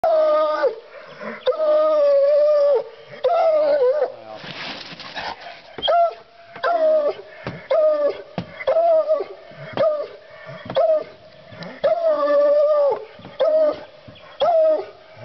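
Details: A male Bluetick Coonhound bays in long, ringing, drawn-out bawls, repeated to announce a raccoon in a trap.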